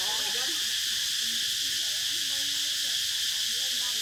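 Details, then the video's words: Cicadas chirping: a dense, steady high hiss-like buzz that never pauses across the clip, with faint warbling lower calls scattered underneath. "សម្លេងរៃយំ | The chirping sound of cicadas"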